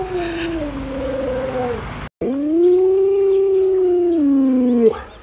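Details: A pet Alaskan Malamute called Luoluo, responding to its bedridden sick owner, gives two howls: a short falling one, a brief break, then a longer steady howl that bends down before ending abruptly.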